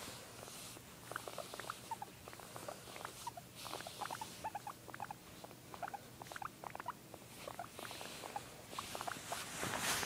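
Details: Guinea pig giving rapid runs of short, sharp squeaks and chirps, clustered in bursts of several notes with brief pauses, fairly steady throughout, over a faint background hiss.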